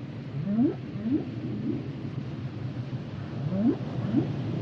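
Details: Humpback whale song underwater: short upswept moans rising from low to mid pitch, repeated in pairs about every half second, with a faint rising whistle near the end over a steady low rumble of ocean noise.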